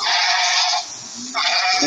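A goat gives two harsh, nasal bleats, the first nearly a second long and the second starting after a short pause.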